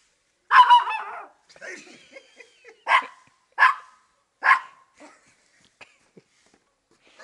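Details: Female Maltese dog in a favourite chasing game, looking beneath a car for the feet of the person trying to catch her; a longer, yelping opening bark, then three sharp barks spaced about a second apart.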